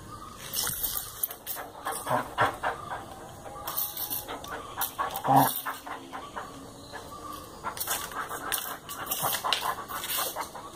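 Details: Basset Hound at play, giving a run of short broadband huffs and snuffles with panting, a brief higher tonal whimper near the middle, and scattered bursts of rustling movement throughout.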